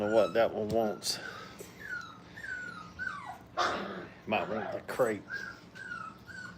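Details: Playful five-week-old puppies at a kennel giving short, wavering whimpers and squeals in quick bursts, with sliding tonal cries in between and possible voices in the background.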